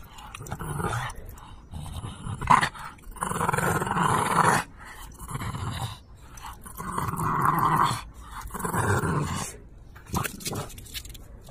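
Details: A playful French Bulldog tugs and fights over a toy, wanting to be teased. Rough throaty growls rise and fall in several drawn-out bouts lasting one to two seconds each, separated by brief pauses and light handling noises.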